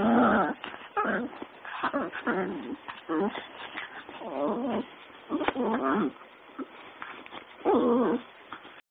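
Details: Small male puppy excitedly pouncing at feet during a play game, the only time he makes this noise; dense, warbling whiny grumbles and yelps in rapid irregular bursts, fairly loud and close.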